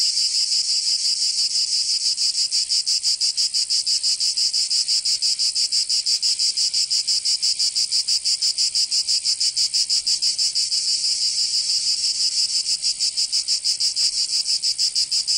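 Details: Chorus of cicadas in southern France's Provence during summer: a relentless shrill buzzing drone with fast rhythmic pulsing near three beats per second, sustained across the whole stretch.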